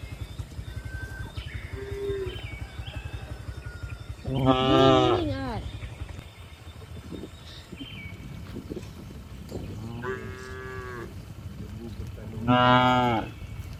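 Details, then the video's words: Cows walking on a hill, giving two loud moos about eight seconds apart and a softer one between, with background rumble, faint tones and scattered footstep-like noises. "Charming Cows on the Move: Hill Journey with Funny Sounds and Gentle Footsteps"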